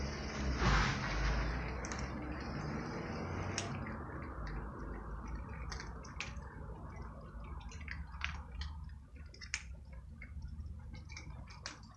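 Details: Crunching and clicking of dry food being eaten amid soft rustling, with no meows or other animal calls.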